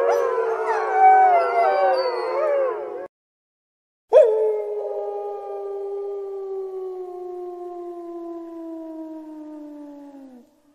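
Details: Overlapping howls from a group of wolves, rising and falling in pitch, stop suddenly. After a gap a lone wolf gives a sustained, gently falling howl lasting around six seconds.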